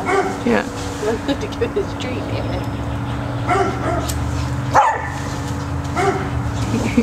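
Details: Max, a pet cocker spaniel afraid to enter a tunnel and trying to get his treats out of it, gives several short harmonic barks spaced a few seconds apart, mixed with people talking over a steady low hum.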